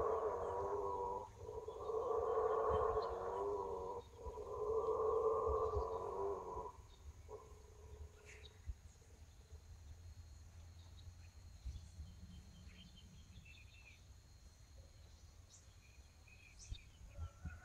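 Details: Howler monkeys roar at about 6 a.m. in Amazon forest at Rio Preto da Eva, Amazonas, Brazil, in deep, rumbling bursts that swell and fade over several seconds.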